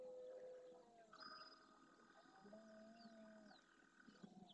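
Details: Dawn in the Doñana marshes, Spain: a breeding red deer stag with his herd of hinds and young roars forcefully, warning rival males off his territory and harem. A drawn-out low groan sits beneath steady tonal calls and faint birdsong.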